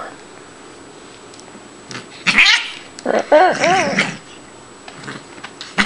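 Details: Female Siamese cat Shiloh, once a kitten found at a grocery store loading dock, vocalizing indoors during playtime: a drawn-out, wavering meow rising and falling, sounding angry though she is not, with a person talking before it.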